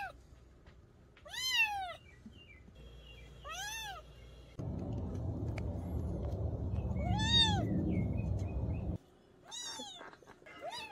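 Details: Domestic cat giving brief, arched meows for deterring rats in the countryside: four short meows about two seconds apart, the middle stretch overlaid by a loud rustling, broadband noise.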